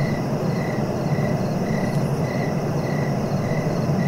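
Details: Rhythmic cricket chirps recurring about every half second over a constant deep background hum.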